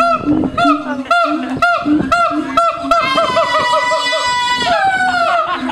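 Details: Siamangs at Honolulu Zoo in 2012 give loud, honking barks in quick series, then drawn-out wavering hoots, with people exclaiming nearby.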